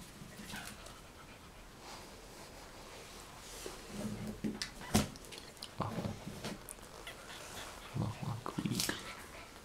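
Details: One-week-old Yorkie Russell puppies indoors in a small room, giving soft low whimpers and grunts in short bursts that grow more frequent in the second half, with faint rustling between them.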